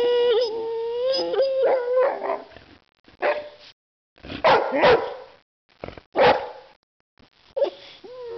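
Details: One-year-old white female Boxer trying to bite a can of compressed air, giving high whining yelps that waver and rise, then short scattered barks with gaps of silence.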